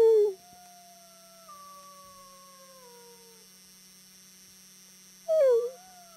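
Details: A friendly wolf in a howling exchange with a human. A brief loud yelp opens, then a long soft howl glides gently downward for about three seconds, and another short loud wavering cry follows near the end.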